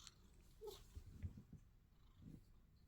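A sphynx cat purrs softly, a low rumbling hum that swells and fades in gentle pulses.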